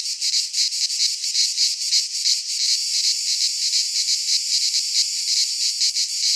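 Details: Cicadas singing in midsummer in a Greek pine forest: a dense, loud, buzzy chorus high in pitch, pulsing in rapid beats about three per second with no gaps, and no other sounds heard.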